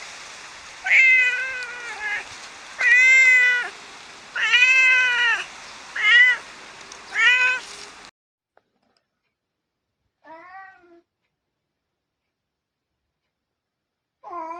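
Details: Domestic cat, among six cats compared for their voices: a run of five or six loud, clear meows, some brief and some stretched, then near silence broken by two softer, distant meows.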